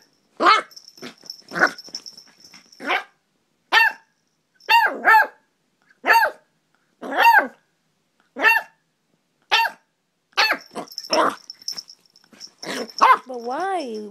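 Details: A dog going nuts, barking in bursts of loud, harsh barks, some doubled or tripled, spaced about one second apart, with a steady high whine between bursts and a final whining, rising howl-like bark.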